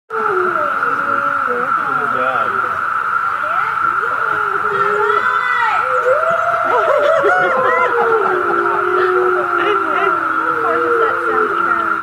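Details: Several gray wolves at the Lakota Wolf Sanctuary on June 22, 2013 howl together in long, wavering tones that rise and fall over a steady background whine.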